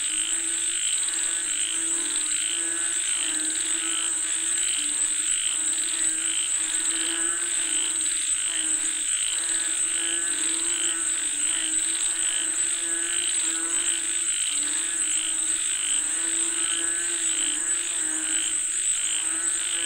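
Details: Many frogs calling for rain in a steady chorus, rattling pulsed croaks and regularly repeated bright trills over a continuous shrill high background drone.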